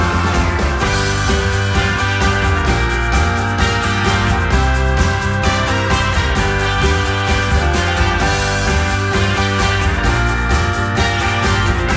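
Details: Upbeat driving music with a steady beat and strong bass fills the whole stretch, with no animal sounds.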